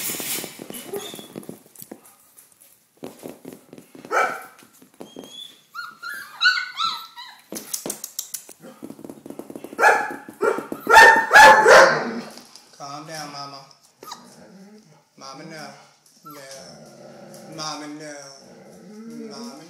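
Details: Doberman Pinscher puppies, red rust coloured, 28 days old, indoors following their owner; high wavering whines and squeaky yelps rise and fall in overlapping bursts, with a few short sharp barks among them.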